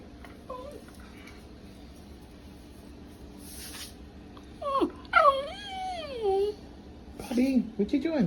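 A Welsh Terrier gives a string of high, wavering whines that swoop downward and twist in pitch.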